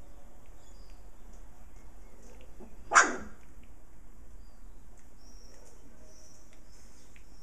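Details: Puppies at play with their mother dog; one loud sharp bark stands out midway through quiet background hiss, with faint high chirps of birds.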